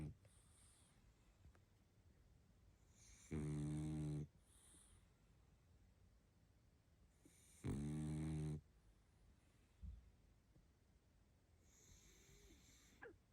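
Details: Tired pug Barney dozes and snores in two deep, throaty bursts about four seconds apart, each nearly a second long, with faint soft rustles and a calm indoor background for ASMR.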